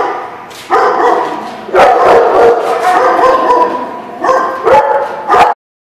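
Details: Dogs at a barking lot recorded February 15, 2016, giving a dense run of overlapping barks and yelps followed by a few sharper separate barks before an abrupt stop.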